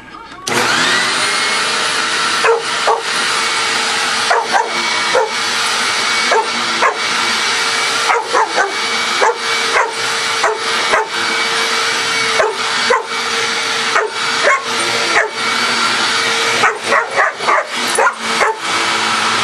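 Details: Coco, a pet dog, barking non-stop at a running vacuum cleaner indoors; sharp barks come in quick bursts and irregular runs over a loud, steady roar of the vacuum's motor.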